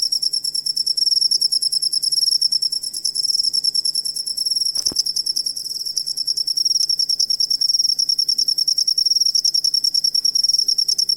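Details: Cricket song played as tutoring material for songbirds: continuous shrill pulsed chirping, about three pulses per second, high and metallic, with one brief click midway and a faint low hum beneath.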